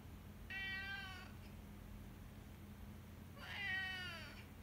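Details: Henri, a house cat, gives two loud, rich howling meows about three seconds apart, each lasting under a second with many harmonics and a slightly falling tone, over a quiet low hum.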